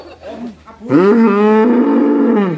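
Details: Raging black bull in Indonesia gives a loud sustained moo lasting nearly two seconds, steady harmonic tone, after softer grunting sounds at the start.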